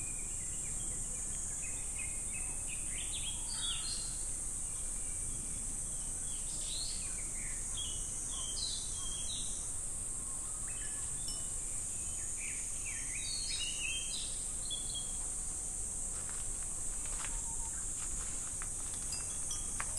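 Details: Cicadas singing in summer at Namegawa Shrine, Sukagawa, Fukushima Prefecture, Japan: a steady, hissing high drone runs unbroken throughout, while scattered chirping birds call over it and a faint low rumble sits underneath.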